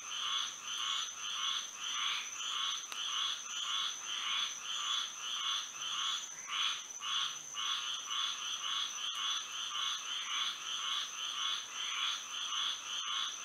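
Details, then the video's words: Frogs chorusing at night in Florida under the moon, a regular throb of harsh croaks repeating near twice a second, several voices overlapping, with a faint continuous high whine. "A frog symphony to sleep and relax to"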